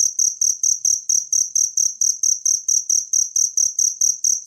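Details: High ringing cricket chirps from a natural recording used to tutor songbirds, each pulse short and bright and repeated quickly and evenly. A soft low thudding sits beneath the chirps.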